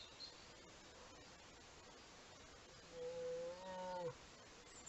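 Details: Brown bear cub beside its mother and siblings, caught by a camera trap in Horný Liptov. One drawn-out, tonal, moaning call lasting about a second over steady background hiss.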